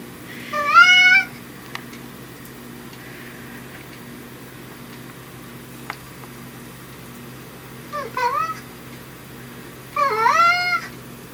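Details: Brown tabby house cat Riki, known for a gruff voice versus a sweet one depending on dad's presence, utters three clear meows, the latter two falling then rising, separated by long quiet gaps indoors.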